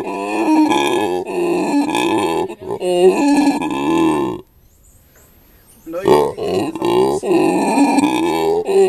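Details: Andy, a captive howler monkey at Monkeyland in South Africa, talks while his family sits beside him; loud, rich harmonic calls in wavering phrases, a silent gap of about a second and a half, then more warbling calls.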